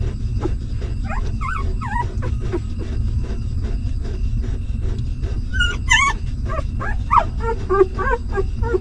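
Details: Newborn puppies of a stray mother dog suckling, giving thin, high wavering whimpers in short bursts, clustered toward the end, over a constant low rumbling background noise.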